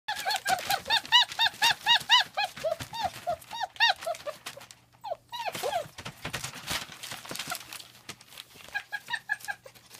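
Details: German Shepherd puppies at a small family-run kennel on 40 acres of private land in Mayo, Florida, giving rapid bursts of high, arched whining yelps, a brief lull near the middle, then more overlapping cries.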